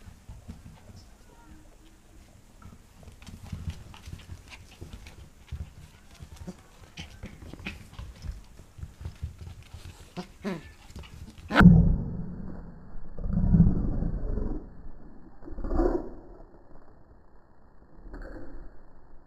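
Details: Pembroke Welsh Corgi puppy, recorded 8 November 2014, playing against a hand: about eleven seconds of soft scuffling and rustling, then three or four short, low, rough growl bursts in quick succession, the loudest and longest near the middle.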